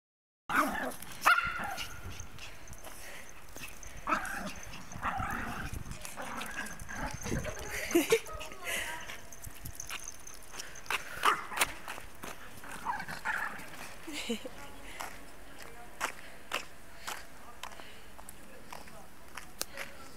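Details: A Pekingese and a Pomeranian fight, scuffling with rough growls, snarls and sharp yaps while people talk in the background.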